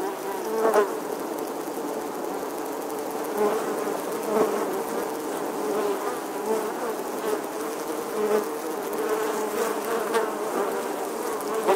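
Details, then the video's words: Honey bees nesting in the stonework of an eleventh-century English church wall, filmed in August 2020; a dense, steady swarm buzz with a low hum and overlapping wingbeat tones, bees passing close now and then. "Bee Hive, Bees Captivating Footage from an Old English Church Wall. Bee Sounds"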